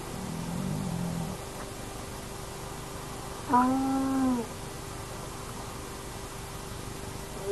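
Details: At an active den of the Naledi hyena clan, a remote nomad camera catches one short, arched, harmonic moan halfway through. A low murmur comes first, with a constant electrical hum in the background.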